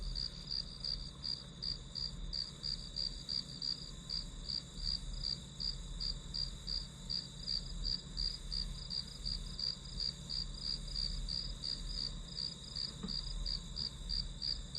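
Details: Grass insects sing in a clear, evenly spaced series of high chirps, close to three per second, steady across the whole stretch above a quiet low murmur.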